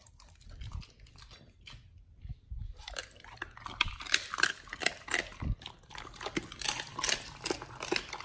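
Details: Dogs on a raw diet eating raw chicken breast and duck feet indoors: wet crunching and gnawing, sparse and quiet for the first three seconds, then dense irregular bursts of bone-crunching bites roughly three per second.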